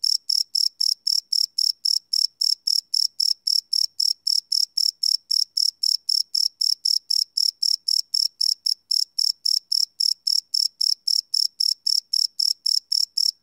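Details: Live night recording of chirping crickets made with a Sony PCM D100 field recorder: a continuous shrill train of short chirps, close to four per second, with one brief stumble midway.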